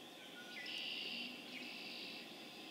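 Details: Chorus of spring peepers (Pseudacris crucifer), Harvard, Massachusetts, April 27, 2011: many high, piercing peeps merge into one steady ringing wall of sound that grows louder partway through, then holds.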